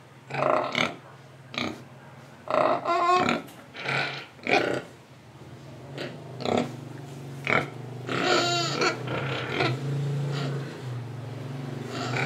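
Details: Pig in Indonesia oinking, breathing and eating: scattered short grunts, a couple of longer wavering squeals, then a steady low hum of snuffling and chewing toward the end.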